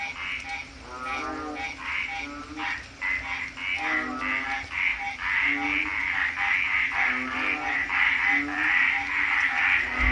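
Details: A loud night chorus of frogs at a porch in the Philippines during rain: overlapping pulsed croaks over a steady high trilling hum and falling rain.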